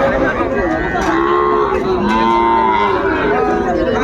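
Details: Sahiwal bull calves at a cattle market in Comilla, Bangladesh, on 10 February 2025: drawn-out harmonic lowing runs through most of the four seconds beneath busy crowd chatter.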